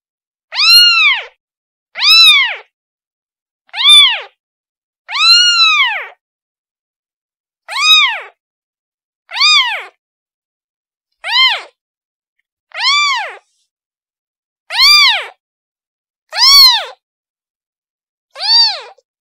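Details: Kitten calling for its mother: eleven loud, clear meows, each an arched cry rising then falling, roughly every one and a half to two seconds, with silence between and no other sounds.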